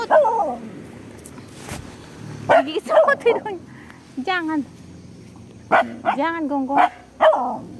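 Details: Pet dog at home barking in short, sharp bursts, two clusters of several quick barks separated by a pause, with a person talking in between.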